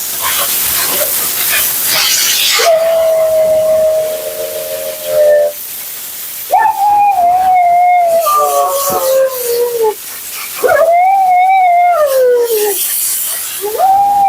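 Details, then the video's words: During her second-ever bath and grooming session, Mila the vocal female Siberian Husky lets out long drawn, tuneful howl-like 'talking' calls, some steady and some arching then sliding down, after an opening stretch of loud blower hiss. "Talking Husky FURNADO Bath and Blowout"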